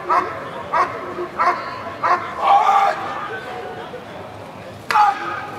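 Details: Dog working in a NIAK protection trial in 2014 gives loud, rough barks about every half second, then a drawn-out bark and, after a pause, one more sharp bark.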